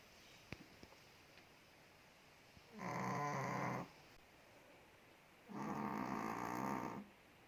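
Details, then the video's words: Ted, a big chihuahua living in Indonesia, sleeping and snoring: two rough, buzzy snore breaths, each about a second long and roughly two and a half seconds apart, with a few faint clicks in a quiet indoor setting. "5 MINUTES DOG SNORES"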